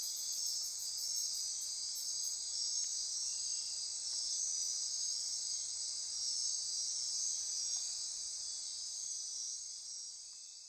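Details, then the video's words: Insects chorusing after dark in lush Costa Rican forest near Corcovado National Park on the Osa Peninsula; unbroken high trilling drone with rapid pulsing ticks early on, gradually fading toward the end. "Costa Rica Rainforest - Midnight Insect Chorus"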